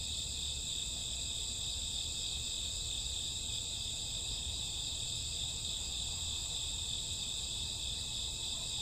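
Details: Midnight crickets of a summer or autumn night keep up a constant high-pitched trilling, multiple voices blending into even bands of sound, faint low-frequency background rumble underneath.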